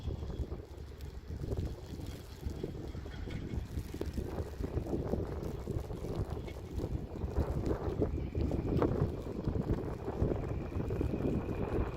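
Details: Steady wind buffeting the microphone outdoors, with faint engine rumble and distant voices, and no animal calls.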